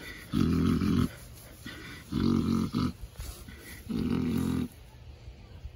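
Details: Pet pig Ms Piggy snoring while being scratched to sleep: three deep, buzzing, rumbly snores spaced about every one and a half seconds, fairly even, in a quiet room.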